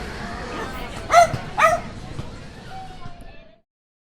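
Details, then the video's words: Small dog barking outdoors in a park while watching other dogs, recorded on a Zoom H5 handheld recorder; two sharp, high yappy barks in quick succession, then a faint thin tonal sound over a low background hum. "Outdoor Dog Barking Sound Effect"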